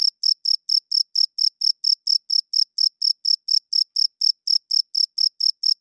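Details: High, metallic chirps from a cricket at night, about two dozen in six seconds, spaced evenly and all at the same loudness, with silence between them.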